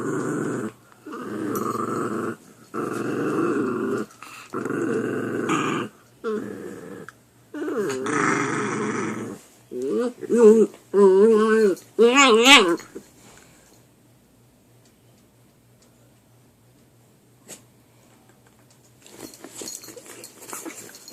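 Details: Puppies fighting over a chew, rough growls in steady bursts followed by higher wavering whine-like yelps, then quiet with faint rustling.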